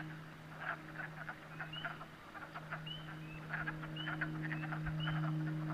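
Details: Frogs calling at a pond at night in New Hampshire: a steady low drone beneath many short clicking pulses and brief upswept chirps repeated several times a second, forming a dense chorus.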